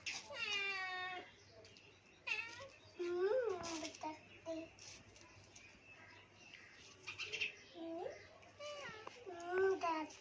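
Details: Cat being fed, giving several short harmonic meows, some falling and some rising then dropping, scattered through the recording between bursts of a child's chatter indoors.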